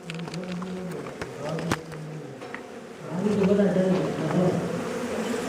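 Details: Honey bees buzzing while their hive is harvested for honey inside a house. People talk over a low hum at first, then a denser, louder droning swarm builds in the second half.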